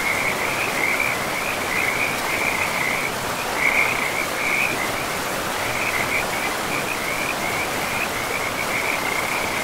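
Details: Frog chorus by a river deep in a pristine forest with moss-covered ground; bursts of fast, high trilling notes at a steady pitch follow one another with short gaps, set against a continuous hiss of running river water.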